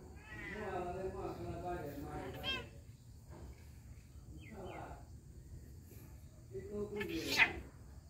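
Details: A cat meows in long, drawn-out harmonic cries, one near the start and another after a pause around the seventh second, with a soft human voice speaking Bengali between them.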